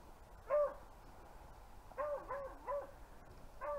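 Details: Beagles hunting rabbits in upstate New York in February 2023, heard at a distance: a drawn-out bay, then a cluster of three quick bays a second and a half later, and a final bay near the end, over quiet outdoor background.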